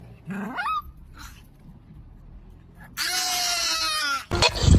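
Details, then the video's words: Dog making a strange sound: a short, quick rising squeak, a quiet pause, then a long, harsh, raspy whining noise for over a second, ending in a loud thump. "The dog actually made a strange sound"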